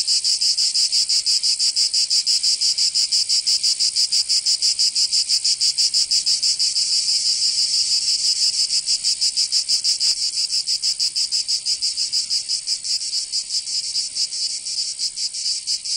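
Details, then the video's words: Cicadas singing in summer in Provence, southern France: a dense, continuous high buzzing chorus pulsing rapidly about three times a second, steady and unbroken throughout, with no other sounds. "Canto Cigarra"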